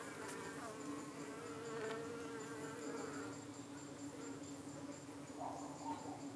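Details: Honey bees at a UK hive on a hot 25 June evening, defending against parasitic flies that try to settle on their abdomens. A steady, soft, droning hum of many bees runs throughout, with faint passing buzzes.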